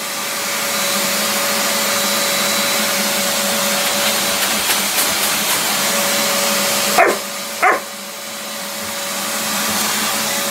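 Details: Puppy confronting a shop vac: two quick, sharp barks less than a second apart, sounding out over the continuous whooshing roar of the running vacuum, with a few faint clicks earlier.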